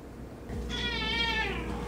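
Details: Domestic orange cat indoors in the morning, described as likely hungry: one drawn-out meow, rising then slowly falling, about a second and a quarter long, with a steady low hum underneath.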